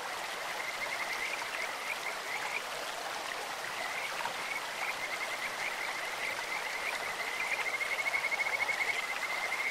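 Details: Kajika frogs in a clear stream, first scattered high chirps, then a long, loud, evenly pulsed whistling trill toward the end, set against a steady wash of flowing water.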